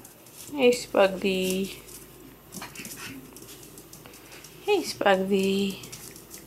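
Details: Male Pomsky puppies, five weeks old, offspring of Winter and Dash, give two drawn-out, high whines with squeaky rising onsets about four seconds apart, each lasting under a second, over a quiet indoor background with faint rustling.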